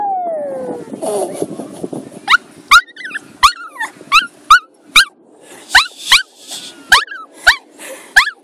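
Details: Bailey, a pet Maltese showing separation anxiety, lets out a long falling whine, then a fast run of sharp high yips, roughly two per second, each with a brief bent tail, over a faint background hum.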